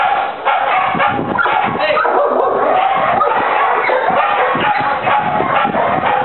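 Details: During apprehension training at Aaron's school of dog training, Trinidad, the four-year-old German Shepherd Ufo barks aggressively at a decoy while assisting his handler. Continuous, forceful barking is heard under shouted commands and talk.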